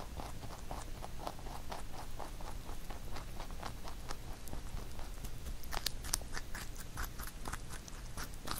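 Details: Rabbit named Huchu eating a carrot songpyeon made for Chuseok, recorded up close indoors; regular, quick crunchy chews several per second, with louder crackling bites toward the end.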